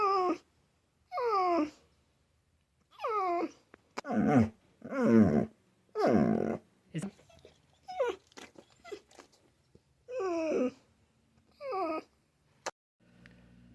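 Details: Pet dog indoors, said to be answering a question, making a series of whining, growly yowls that slide downward in pitch, in bursts about every second or two, with occasional clicks and quiet noises between.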